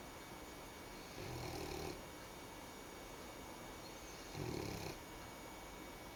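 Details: Sleeping French bulldog pup, crashed out after playing hard, snoring indoors: two short buzzy, vibrating snores about three seconds apart, each under a second long, over a low steady room hum.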